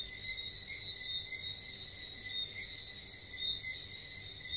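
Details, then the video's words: St. Lucia whistling frogs after dark, giving sharp high whistled notes every second or so against continuous high-pitched insect noise. "wistling frogs"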